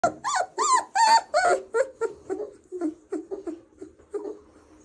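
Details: Doberman puppy being played with indoors, giving a rapid run of high, whining squeaks and yelps, about three per second, bright and tonal at first, then fading into softer, lower whimpers toward the end.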